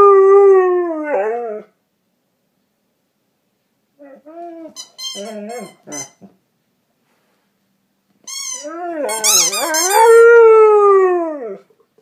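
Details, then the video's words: Pet dog James howling as he chews a dog toy. A long descending howl, then short broken yelping sounds, then a loud quavering howl that wobbles in pitch before falling away. "my dog James howling when he is chewing on a Dog toy"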